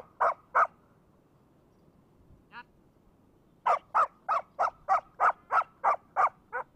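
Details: Two sharp barks, a quiet gap with one brief squeak, then a steady string of about ten rhythmic barks from a Labrador playing with a brick.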